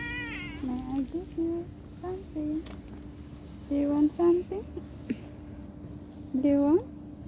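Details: Pet cat distressed by separation from its owner, giving a series of short, low, nasal meows in irregular bursts, ending with a louder, rising, strained meow; a steady background hum throughout.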